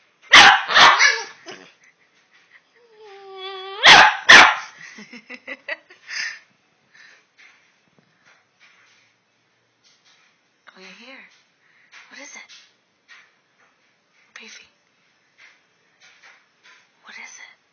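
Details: Two pet Boston Terriers having a talk, recorded on an Android phone: loud, sharp barks open, followed by a rising, whiny, tonal talking sound and another pair of barks, then softer scattered grumbles and yips fading through the rest.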